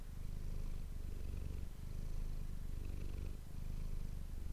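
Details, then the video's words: Manis, a domestic cat, purring steadily on an ASMR microphone; a soft, low, grainy rumble alternating between stronger and weaker phases roughly every one and a half seconds. "ASMR cat purring ❤ Manis die aan het spinnen is"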